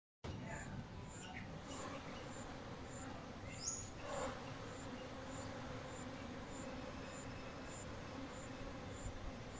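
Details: Bees in a beech tree: a dense, steady hum of many bees buzzing together, with a faint high ticking repeated in the background.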